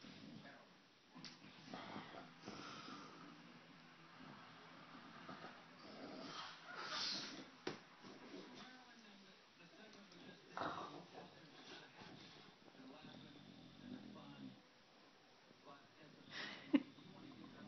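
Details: English Bulldog named Otta being silly, giving rough breathy wheezes and snuffling snorts at irregular intervals, the loudest bursts near the middle and end, with human voices talking over parts of the recording.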